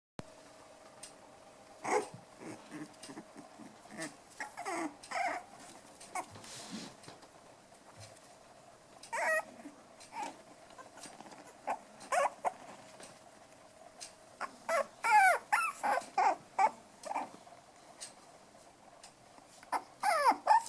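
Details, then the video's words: Several five-week-old toy poodle puppies, black ones and white dwarf ones, playing together indoors; frequent short squeaky yips, whines and small growls in irregular bursts, with clicks and scuffling between them. "Lekande pudelvalpar. Playing poodle puppies."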